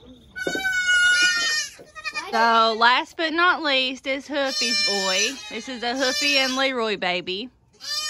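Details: Kids born in kidding season 2022 calling together: nasal, vibrato bleats overlap almost without pause, several long drawn-out cries wavering in pitch, and a person speaks in the background.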